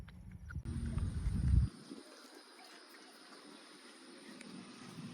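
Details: Cow giving a low, drawn-out moo that lasts under two seconds and then stops, followed by steady wind rumble and faint outdoor background noise.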